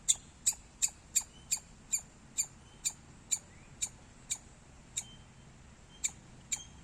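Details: Loud chirping from a squirrel: sharp high chirps start fast, then gradually slow to spaced single notes roughly every half second, each bright and abrupt, with low background hiss.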